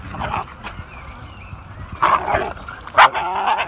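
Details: Pincher and Whippet dogs at play with a new friend: a stretch of quiet shuffling, then two sharp, loud barking bursts about a second apart, followed by softer rough vocal noises.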